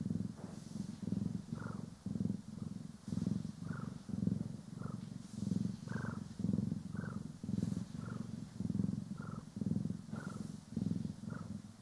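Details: Cats Poki and Kiwi purring contentedly under brushing and grooming, recorded in stereo: continuous low rumbling in regular breath pulses, topped by short, slightly higher squeaky tones recurring every second or so, plus soft brush strokes.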